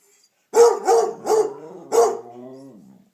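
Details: {'caption': 'Damion, a pet dog, joins in as Piper, a Redbone Coonhound, bays at home; four loud, harmonic bay-barks come about every half second over a lower, steady howling tone that fades out at the end.'}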